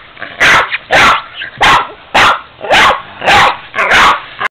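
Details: Pet Boston terrier Ester barking at a 45-year-old piggy bank she does not like; six loud, harsh barks arrive about once per second with faint whimpers between them.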